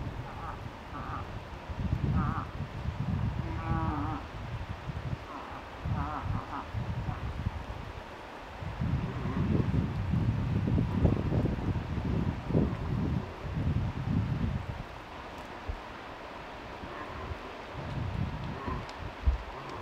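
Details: In Tokke, Norway, a vocal cow moose accompanies a five-point bull moose, giving a run of short, wavering, bleating calls in the first seconds, followed by gusty wind and low rumbling noise.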